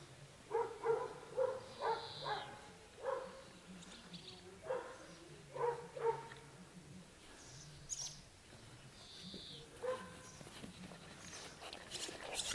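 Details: Twelve-week-old Dogo Canario puppies, born 11 February 2010 in the Pretorianern litter. Several young dogs give short yapping barks in uneven bursts, thick early on and sparser later, with brief whiny notes mixed in over a low background hum.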